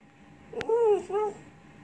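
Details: Pet Lhasa Apso dog 'talking' indoors: two short tonal, slurred whining notes, the first rising then falling, the second shorter and lower, after a single sharp click.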